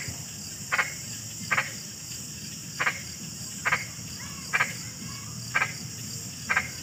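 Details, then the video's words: Frog giving clipped, rasping double notes at slightly uneven intervals, roughly one per second, against a continuous high-pitched insect hum and faint low rumble. "SUARA KODOK"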